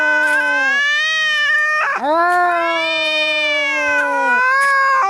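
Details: Fighting, angry cat sound for repelling mice: a long droning yowl, a quick sharp break, then another sustained wailing howl that holds level before fading at the end.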